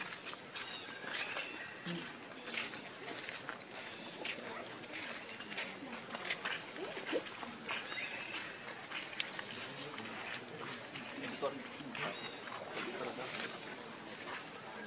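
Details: Monkeys, the mother Luna with her baby: short, shrill squeals and high chirps break out every second or two over steady rustling and dense clicking.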